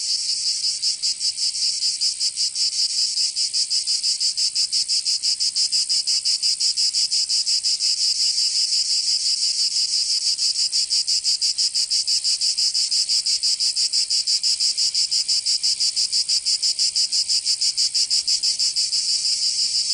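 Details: Massed cicadas in summer, Provence, southern France: continuous piercing buzz pulsing rapidly and evenly, like a fast rattle blended into a hiss, sustained without break.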